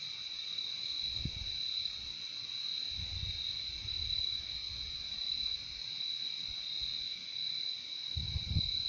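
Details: Constant shrill cricket trilling in nature, an even high-pitched drone without breaks, while several soft low thuds and rumbles come and go underneath at about one, three and eight seconds.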